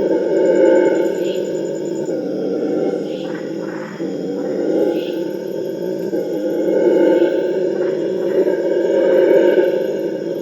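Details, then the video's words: Howler monkeys (Alouatta puruensis) in the Amazon rainforest, recorded in 2019, roar together in a deep, rolling early-morning chorus from around 4 am that swells and fades without pause. "The TERRIFYING sounds of Howler monkeys"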